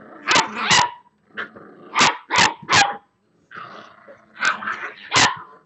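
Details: Boxer puppies, six weeks old, playing together: clusters of high, sharp barks and yips, several in quick pairs, mixed with low grumbling growls in the gaps.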